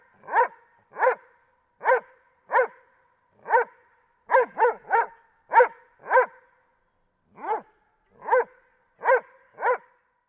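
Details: Doberman barking: about fourteen loud, full-toned single barks over ten seconds, mostly evenly spaced with a few quick doubles and a short pause midway, against a silent, clean background.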